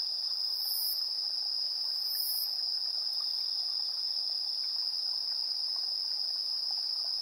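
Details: Evening insect chorus at 7:04 PM, 3 September 2022, recorded on a TASCAM Portacapture X8 with internal AB stereo microphones: a constant high-pitched ringing trill with two brief, much higher bursts early on.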